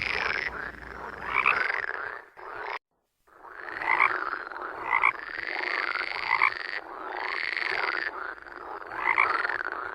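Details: Rasping, buzzy toad croaks rise and fall in repeated bouts about every two seconds, with one short silent gap.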